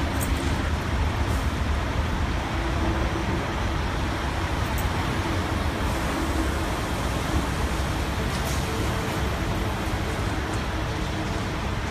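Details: Steady roar of road traffic with passing cars and faint voices, no barking or other animal sounds.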